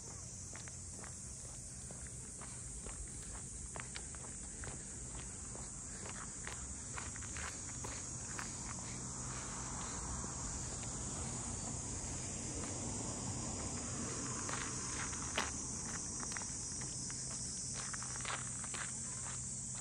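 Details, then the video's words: Continuous shrill drone of cicadas over the traditional Ine no Funaya port houses north of Kyoto, unchanging in pitch for the full length, with brisk footsteps and a low rumble of the surroundings beneath. "cicadas voice"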